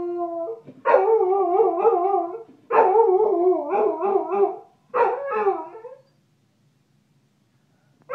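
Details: A Chow Chow dog that dislikes the phone ringing and the answering machine voice howls indoors: three long wavering, quavering howls with tremolo pitch wobble, each one to two seconds, separated by short gaps, then silence.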